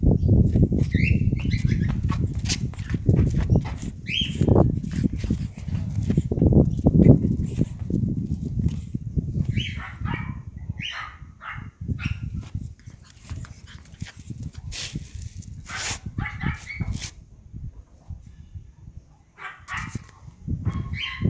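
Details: Young male pug puppies, dewormed and vaccinated, giving short high whining squeaks and yelps scattered through the recording, with heavy low rumbling and handling noise underneath and sharp clicks throughout.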